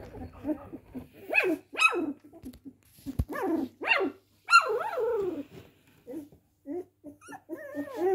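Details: Cocker Spaniel yapping in high, clipped barks with rising and falling whiny tones, several in quick succession, then softer whimpering yelps near the end, mixed with people talking.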